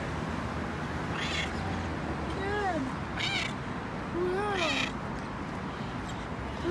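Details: Friendly feral cat outdoors, two clear rising-then-falling meows a second or so apart, over steady background rumble, with a person speaking Hebrew and English nearby.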